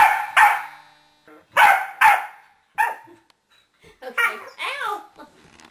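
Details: A female corgi attacking a remote-control whoopie cushion hidden under a sofa cushion gives sharp, high barks in quick bursts, followed by mixed yips and voices.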